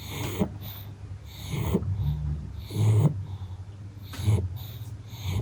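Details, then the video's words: Napping pug snorting and wheezing in its sleep, irregular rough breaths with nasal rattles spaced a second or more apart, quiet room tone underneath. "SLEEPY PUGS ARE CUTE - pug naps, snores, snorts, tired eyes, dreaming"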